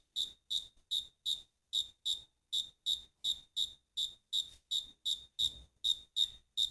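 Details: Cricket song of short, shrill chirps that come in slightly uneven groups, sometimes paired, with brief pauses breaking the rhythm; no other sounds stand out.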